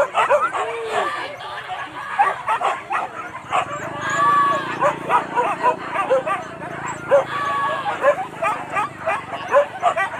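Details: Pack of dogs baying during a wild boar hunt in Kayu Ampek, Tanah Datar: rapid, overlapping barks and high yelps keep coming, with people talking and shouting throughout.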